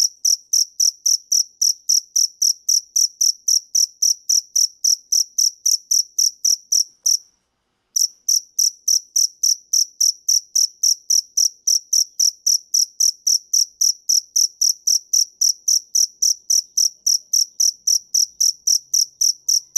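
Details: Cricket (dế mèn) calling in a steady run of high, pure chirps, close to four per second, with one short silence near the middle before the even pulses resume; no other sounds.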